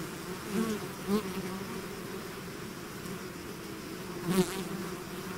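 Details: Natural buzzing from a bee swarm outside its hive: constant droning background with several individual bees zipping past close by, louder buzzes around the first second and again past four seconds.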